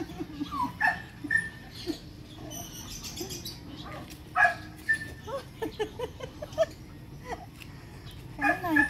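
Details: Aquil, an 11-month-old Belgian Malinois, during a first training session to fetch a ball on a long leash: high, thin whimpers and short yelping cries in uneven bursts, some rising then falling, mixed with human voices and laughter.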